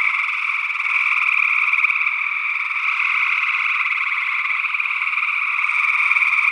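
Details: Gray tree frogs calling in Northwest Wisconsin in early June 2022, recorded with an ORTF pair of small-diaphragm condenser microphones; a dense, continuous trilling chorus with no pauses, and a second, unidentified frog species also calling.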